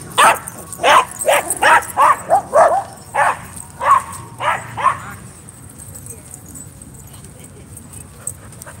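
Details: Friday night dog park play, a dog firing off a quick burst of about a dozen sharp barks over five seconds, then falling quiet while low background murmur continues.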